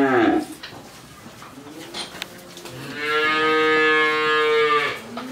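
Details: A 13-month-old Friesian heifer calf from Pabna, Bangladesh, lets out a short low grunt and then, after a quieter pause, a sustained, even moo of about two seconds.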